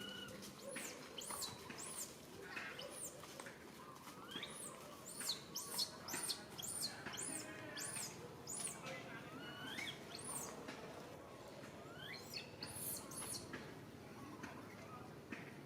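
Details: Baby monkey calling its mother for help; high, arching squeals and screams, many in quick succession at about two per second, uneven in rhythm, with faint background noise.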